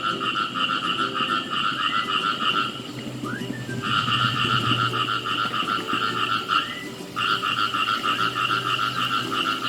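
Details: Chorus of khiat i mo frogs in a pesticide-free rice field, fast pulsed croaking in bursts of several seconds broken by short pauses, with a few quick rising chirps in the gaps and a low steady hum underneath.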